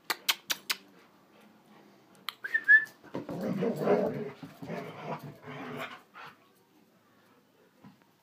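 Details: Norwegian Elkhound at play; a few sharp taps open, then a brief whistled note and a stretch of grumbling, moaning vocalization lasting about three seconds before fading.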